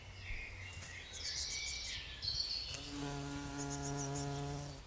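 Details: A Heath bumblebee queen (Bombus jonellus) collects nectar from Giant Pink Dead Nettle (Lamium orvala) and is dusted in pollen; her flight gives a steady, low, droning buzz rich in overtones; Heath bumblebee.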